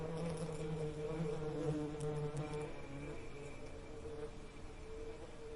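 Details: Bee drone, strong and steady at first, then fading into a softer, thinner hum with faint background noise.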